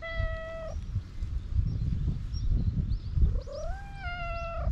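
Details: On a Japanese cat island a hungry cat meows for food: a flat, sustained meow, a pause, then a longer call rising and falling in pitch, over heavy low-frequency wind or handling rumble.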